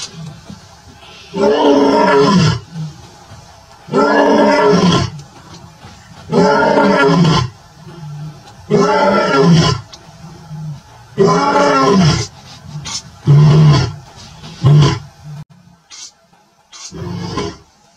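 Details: A male lion with his lioness in the Maasai Mara on 12 September 2024 roars in a series of deep, throaty bursts, each lasting about a second.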